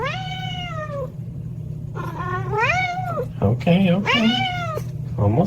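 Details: A cat meows insistently while waiting for dinner, with a string of drawn-out, arching meows, some rising and some falling, as a man answers in calm speech over a low household hum.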